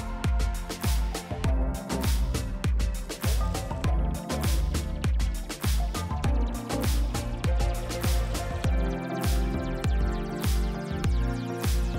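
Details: Loud rhythmic music with a heavy, regular bass beat, about a hundred beats a minute, and no animal sounds.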